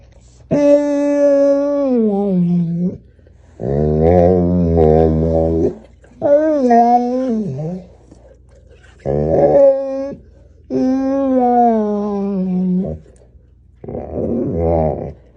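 An American Bully makes drawn-out, wavering growls and moans in several separate bursts.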